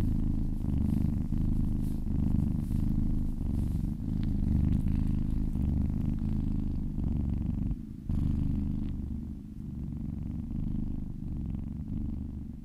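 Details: Happy cat purring under a relaxing massage, a deep throbbing purr pulsing rapidly and steadily, with a brief break partway through.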